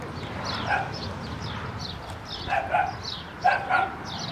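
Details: A puppy gives short high yips with harmonic bands, several in quick succession around the first second and again near the end, with quieter soft whines between them against a low steady background hum.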